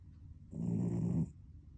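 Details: Cat snoring while asleep, heard close: one drawn-out, low, throaty rattle lasting about three quarters of a second, rough and buzzing, then quiet.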